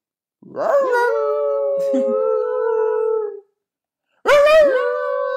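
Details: Pet dog 'talking' indoors with a steady, mid-pitched howl held for about three seconds. After a short silence it gives a second, sharper yowl that starts loud and then levels off.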